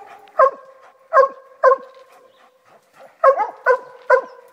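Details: Walker hound named Copper treeing, giving loud, ringing barks with a clear harmonic tone: three spaced barks, a short pause, then a rapid run of four in quick succession, roughly seven barks in under five seconds.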